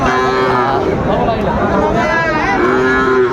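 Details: Cattle at Raniganj haat market in Chapainawabganj on Thursday, 19 September 2024, with bulls and calves for sale. Two drawn-out, tonal moos open and close the moment over steady crowd murmur and market bustle.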